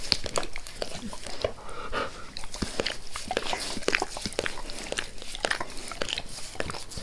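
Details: A dog named Max licks its owner's face with zeal. Wet, sticky tongue clicks and smacks repeat irregularly, several each second, with moist slurping in between and no voices.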